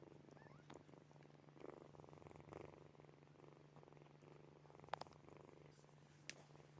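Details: Sleeping kittens Snowy, Furry and Zoe purr softly indoors, a quiet, fine-grained rumble swelling in slow waves roughly every second, over a steady low hum, with two sharp faint clicks near the end.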